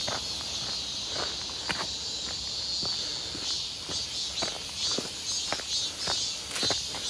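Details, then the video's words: Cicadas calling in midsummer near Seonbawi, 1 August 2023, clear and hot, recorded while walking: a constant piercing drone with wavering pulses, and loud footsteps throughout. "부쩍 많아진 매미소리"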